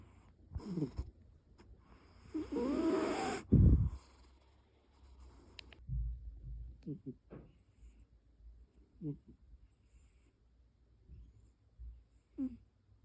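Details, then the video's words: Heavy snoring from a sleeping cat, opening with a loud, rough, drawn-out snort and rustle, then settling into softer, scattered nasal snores spaced a second or more apart against a quiet room. "코골이가 심한 고양이"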